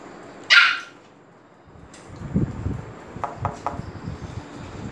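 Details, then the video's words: As Fendi the Pomeranian arrives at Phuket Dog Resort and the dogs get excited, one sharp high bark opens, followed by softer yips and shuffling noises. "Pomeranian FENDI coming in and all dogs excited"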